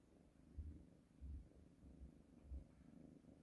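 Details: Domestic cat purring while kneading on a blanket: a low, steady rumble with throbbing pulses that swell roughly every half second to second, close and quiet, nothing else clearly heard.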